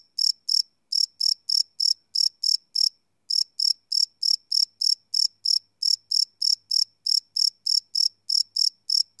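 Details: Night chorus of crickets captured live on a Sony PCM D100 recorder, a brisk train of high, bright chirps about three per second, broken by one short pause near the third second, against silence.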